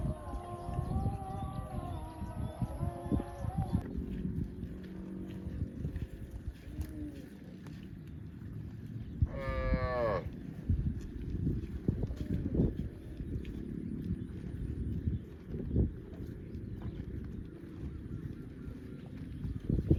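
A cow gives a drawn-out, harmonic moo, followed by rumbling background noise.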